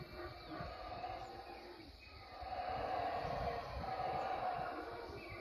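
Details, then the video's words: Howler monkeys calling: a deep, rough, continuous roaring that swells and fades in long surges, dipping briefly before building again to a louder, steady drone over low rumbling background. "Howler Monkeys Sound"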